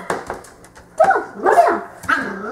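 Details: Ten-week-old female Cocker Spaniel puppy indoors, afraid to walk down stairs while a black dog coaxes her; short rising-and-falling whines and yelps in several bursts, with a woman speaking encouragement.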